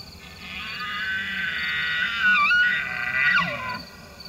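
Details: Very large bull elk giving a long, high whistled bugle that holds steady, then dips and slides downward, with rich stacked overtones.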